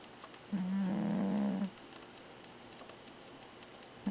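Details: Fat pet cat snoring: one long steady low drone lasting about a second, with a flat tone and buzzy overtones above it, then quiet room noise and the start of another snore at the very end.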